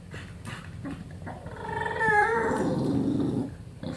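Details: English Bulldog making funny noises indoors: soft snuffles give way to a loud, wavering, whiny moan that bends downward, then trails off into a low rough grumble.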